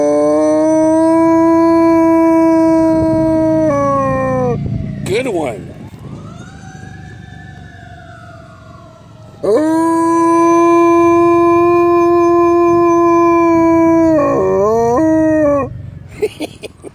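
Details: Elsa, a dog, howling in OB: long sustained tonal howls held steady, a lower rising-and-falling wail between them, then a second long howl that ends in a wavering break, with faint voices.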